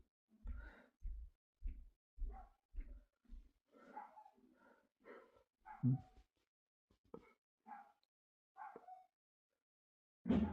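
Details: A string of short, deep barks about every half second opens the recording, then looser mid-pitched woofs and huffs follow after a pause, ending in one loud bark.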